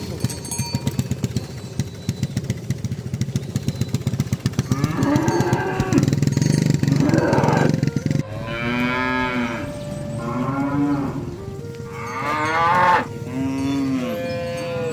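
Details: Cattle herded to the barn, calling friends to the pen: a rhythmic engine-like putter early on, then a series of loud, arching moos from more than one animal.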